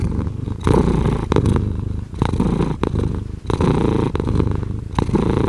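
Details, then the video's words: Close, steady purring of a house cat: deep rumble, regular and pulsing, swelling with each inhale and exhale, broken by short pauses, with no other sounds around. "5 Hours of Cat Purring"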